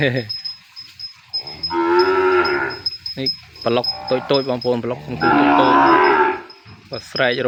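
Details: Calf crying out for its mother after being separated from her and kept apart, penned: two long, loud, hoarse bawls with a run of choppy, shorter wavering calls between them.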